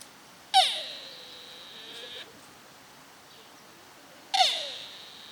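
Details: Deer at Nara Park, Japan, recorded 30 March 2022: a piercing, falling call is held steady for nearly two seconds, then a second identical call begins after a two-second quiet gap.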